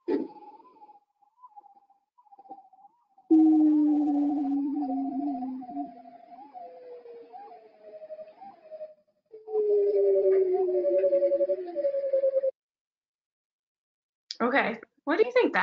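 Bearded seal trills: long, slowly descending warbling whistles with rippling pulses, then a few lower groans.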